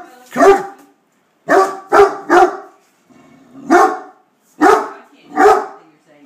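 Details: Great Dane in attack mode at a beer keg, letting out seven deep, gruff barks in uneven clusters over six seconds, some paired close together, separated by short silences.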